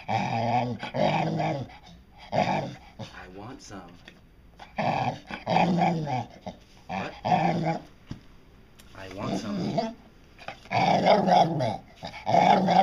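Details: Dotty, a pet dog known for 'talking', indoors in a small room, producing drawn-out, wavering, voice-like moans and grumbles in several bursts, rising and falling in pitch, alternating with a person's voice coaxing her to repeat phrases.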